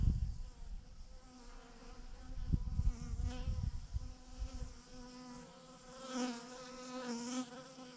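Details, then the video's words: Honey bee swarm, thousands clustered on a branch, giving a continuous harmonic drone; a low rumble of wind or handling at the start, then the hum rises in intensity with brighter surges near the end. "thousands of BEES hanging on a branch in a massive clump"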